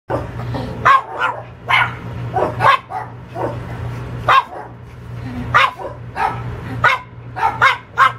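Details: A domestic dog barking in sharp, irregular bursts, about a dozen short barks in eight seconds, some doubled, over a steady low electrical hum.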